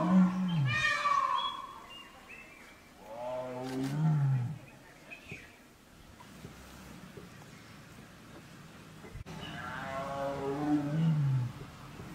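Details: Male tiger in Ranthambore National Park calling a female to mate: three deep, moaning roars with rich harmonics, each falling in pitch and lasting about a second and a half, spaced several seconds apart over a quiet outdoor background.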